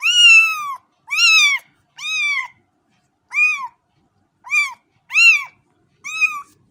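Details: Cat meowing in seven separate calls, each an arched, rising-then-falling cry with rich overtones, roughly one every second, clean with no other sounds.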